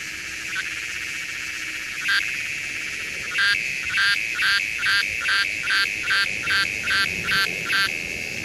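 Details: Psaltoda moerens, the redeye cicada, calling with a continuous high buzz broken by a train of loud, evenly spaced rasping bursts, roughly two each second, after a few isolated pulses at the start.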